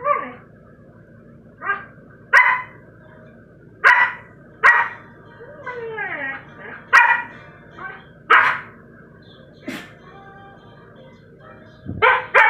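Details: Siberian Husky puppy named Sky barking in an uneven series of short yaps, roughly one every second or so, with one drawn-out falling whine-like yelp in the middle and a faint steady hum behind.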